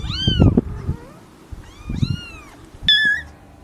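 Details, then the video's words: Domestic cat, newborn kittens: three short, thin mews spaced about a second apart, the last one sharper and higher, with muffled low rumbling and rustling between calls. "Cute Newborn KITTENS MEOWING Baby Kitten Meowing Sound Effect"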